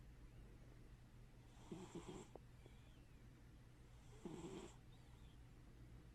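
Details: Pet cat named Scrapper snoring while asleep with one eye open; two soft raspy breath-snores, each lasting about half a second, spaced roughly two and a half seconds apart over a low steady hum.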